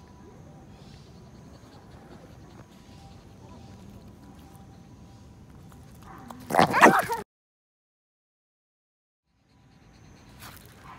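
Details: Shih Tzu Kuu-chan playing tug-of-war over a stick found in a park, giving a short, loud, rough vocal burst after a stretch of low background noise, followed by silence and faint rustling.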